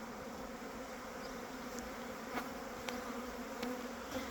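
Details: Honey bees actively working around their hives as spring begins, a steady low hum of many wings with faint higher overtones, broken by a few brief clicks and knocks.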